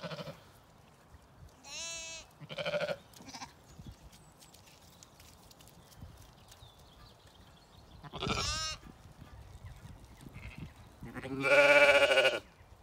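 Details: Zwartbles sheep, lambs including BigEars, with ewes eating a meal in the evening on a regenerative farm in County Kilkenny, Ireland. Scattered bleats over about thirteen seconds: quavering high calls, short mid-pitched bleats, and a final loud, full bleat near the end.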